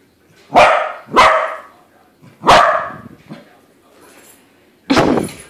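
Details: Domestic corgi confronting a balloon corgi, giving a quick pair of barks, a third bark after a pause, then a final loud bark following a quiet gap.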